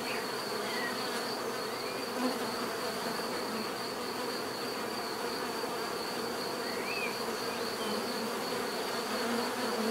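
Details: Steady bee buzzing from nature, a broad humming drone with a pulsing high whine above it, and occasional faint bird chirps rising briefly over the hum.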